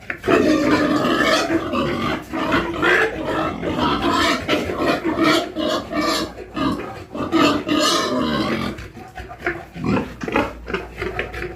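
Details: Farm pigs grunting and squealing together in dense, loud, overlapping bursts, with harsh rasping calls and a constant low background hum.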